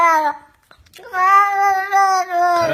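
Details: Pet cat complaining that it wants to go to the market, giving a short falling meow followed by a long, sustained, strongly harmonic wail that wobbles slightly and ends in a downward slide.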